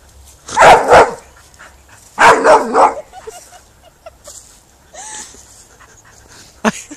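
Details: Bull terrier angry at not getting what it wants, giving two loud, rough, grumbling bark-like bursts about a second apart, then softer whiny murmurs, a brief rising whine and a sharp click near the end.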